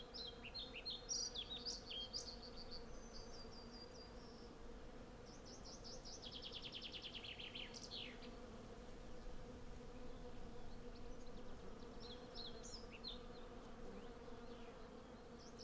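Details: Hundreds of western honey bees collecting honey from a blossoming cherry tree, recorded with a Sennheiser MKH 8040 stereo set and a Zoom F6. A steady low droning hum runs throughout, with chirping and trilled birdsong high above in short bursts.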